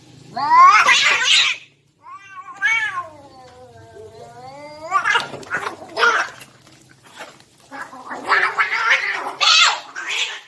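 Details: Two cats fighting: a long, wavering, rising-and-falling yowl, then harsh hissing spits and growling screeches in loud bursts, with people talking nearby.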